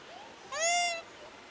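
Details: Japanese macaque, filmed in a setting of monkey-deer mounting behaviour: a single clear harmonic call about half a second long, rising slightly then falling away, standing out over quiet background hiss.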